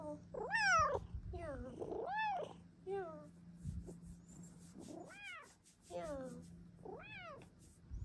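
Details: Indoor female Bengal cat meowing for a blanket cave, her meows changing with time of day and how sleepy she is; six strong arched meows in eight seconds, rising then falling, over a faint low hum.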